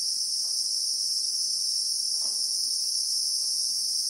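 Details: Real-time sound of Christmas beetles (Anoplognathus) in the South African bushveld: a continuous shrill, high buzzing drone without breaks, plus two faint, short muffled knocks.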